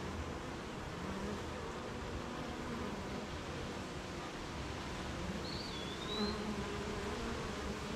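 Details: Beehive of honey bees on a rainy morning, busy making honey: thick unbroken humming drone of many bees, low and even, with one high swooping bird whistle late on.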